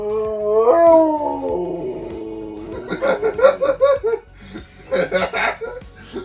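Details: Siberian husky Benji, a family dog newly home for his first full week, howling: a long rising-then-falling tonal howl, followed by a run of short yipping, talkative howls with some background laughter or voices.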